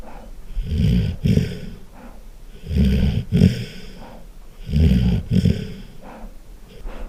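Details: A Golden Retriever snores loudly while asleep. Rough, grumbling low breaths swell and fade about every two seconds, each ending in a snorting double pulse, with faint breathy hiss between them.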